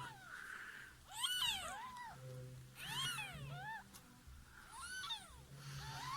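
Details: Mother cat after giving birth indoors, resting in a box lined with clothes beside her newborn kittens; soft, high, arching mews come in short clusters roughly every two seconds, with a low hum underneath.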